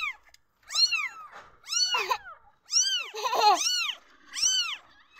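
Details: Newborn kittens meowing when they feel insecure: high, arched meows that rise and fall, given in bursts roughly once a second, with some calls overlapping and a lower, muffled cry in the middle.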